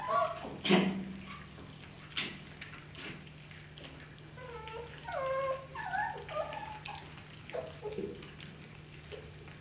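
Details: German Shepherd puppies, 31 days old, from the A litter "von der Edermündung", give a run of thin, wavering whimpers and squeaks that rise and fall in pitch, clustered midway, over a steady low indoor hum and a few sharp knocks.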